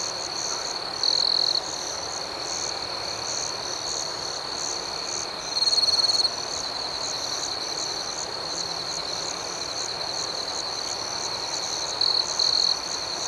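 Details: Night chorus of crickets: continuous high buzzy chirping with quick regular pulses. Louder close trills break in three times, briefly rising above the steady background drone.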